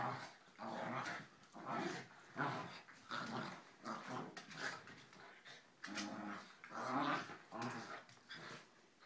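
Corgis growl and grumble in rough, rasping bursts while play fighting.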